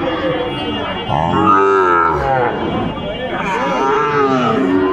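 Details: At Ambari market in Dinajpur, Bangladesh, during early Ramadan in March, Sahiwal bull calves low in two drawn-out, arching moos, the first strong and rich in harmonics, the second rising near the end, against continuous crowd background.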